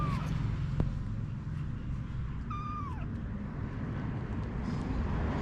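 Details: A domestic cat household, mother cat Anna with her kittens: a single high, thin meow slides downward around the middle, with a fainter one at the start, over a steady low rumble.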